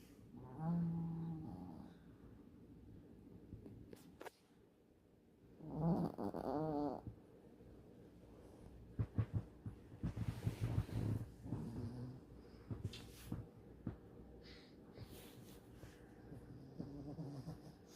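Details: Sleeping dog snoring: a long, low, harmonic rasping snore early on and another about six seconds in, separated by quiet breathing, followed by scattered short clicks, thumps and softer snuffles.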